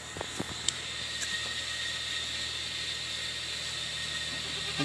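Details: Steady broadband hiss with a few faint clicks, and no animal sound.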